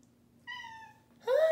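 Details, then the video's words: Pet cat indoors giving an unusually quiet whisper meow: a soft, steady, tonal note about half a second long, after a low room hum, then a woman's voice cuts in loudly at the end. "cat whisper-meows"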